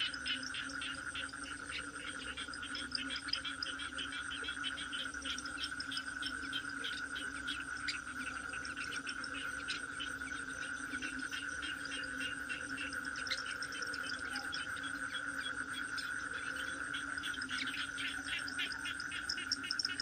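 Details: Unbroken toad cry, a sustained high note and a low hum lasting the whole stretch, with thick rattling clicks above from many animals calling at once.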